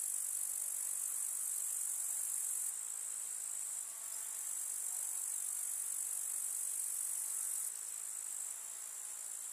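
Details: Summer meadow in the countryside filled with grasshopper chirping: an unbroken, piercing high insect hum whose loudness steps up and down a few times without pause.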